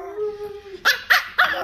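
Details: A Pomeranian dog left at home in a lion dance costume on a cold day, whining at her owners on their return: a long steady high whine, then three short sharp bark-like yelps in quick succession.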